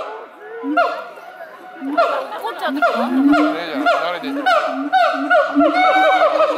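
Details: At Chiba Zoo in Japan, May 2021, siamangs Brave and Heart trade calls, mostly a morning habit: dense rapid barks and rising whoops tumble over one another with a steady low booming beneath, loud and continuous.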